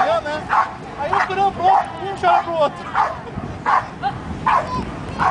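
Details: Border Collie playing on a beach, giving short barks and yips repeated about every half second to second in an irregular string, with surf noise in the background.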